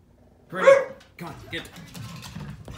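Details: Doberman and Border Collie mix, a male house dog, barking an alarm at the mail carrier: one loud, sharp bark, then quieter sounds with people talking nearby.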